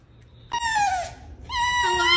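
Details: Fox uttering two drawn-out, high, harmonic scream-like cries, the first sliding slightly downward, the second held steady and rising toward the end, with a quiet low hum behind.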